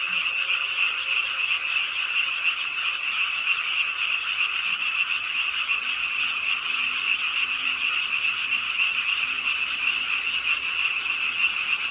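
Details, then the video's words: On a rainy night at a city park pond in Suwon, frogs croak together in a thick unbroken chorus, rapid pulsing notes layered into one high steady drone, soft rain patter underneath. "비오는 밤 공원 연못 추억의 개구리 소리"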